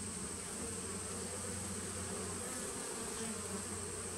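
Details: Brief sample of a 2017 honey bee nuc colony, taped 19 September 2018, giving a thick, even drone with a strong low throb and fainter buzzing overtones, with a steady high whine above.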